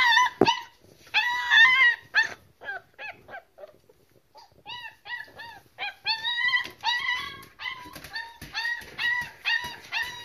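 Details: Puppies of a German Shepherd Boxer cross crying: rapid, high, arched whines and sharp yips, several each second, louder cries at the start and a steady chorus after a brief lull midway.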